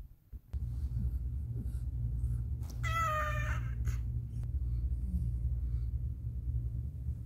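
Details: Domestic cat named Caramel during a difficult birth indoors, giving a single short harmonic meow lasting under a second, flat then slightly falling, over a constant low mechanical hum.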